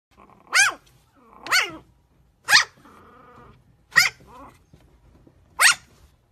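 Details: Chihuahua giving five sharp, high barks spaced about a second apart, each bright and harmonic-rich, with a low rumbling growl between the third and fourth barks and a short growl after the fourth; otherwise quiet.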